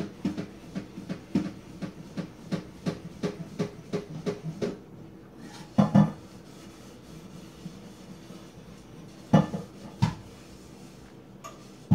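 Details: Rhythmic metallic clanking and knocking, like a fence being rattled, then a few louder isolated thumps over a quiet background, with no animal calls.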